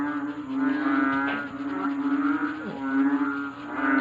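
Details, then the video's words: Many frogs calling loudly at night, keeping the listener awake: a dense, droning chorus with a steady low hum and stacked overtones, pulsing in loudness, plus occasional brief higher chirps over it. "GRABEH SUBRANG INGAY NG MGA PALAKA"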